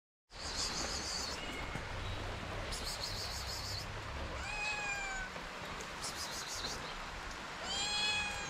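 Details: Hungry abandoned kitten in Morocco, hesitant to approach, gives high, thin meows that arch up then fall, one near the middle and another at the end, over steady low rumbling background noise.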